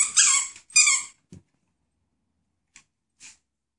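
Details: Mezcal, a medium-sized male Xoloitzcuintli or Mexican Hairless dog called Mez, gives two loud, high, squealing yelps in quick succession, then a few faint short clicks and squeaks after a pause.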